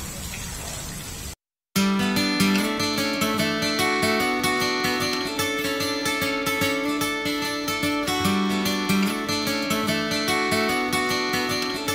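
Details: A brief burst of noise, a short silence, then steady plucked acoustic guitar music with a regular strummed rhythm, and no animal sounds.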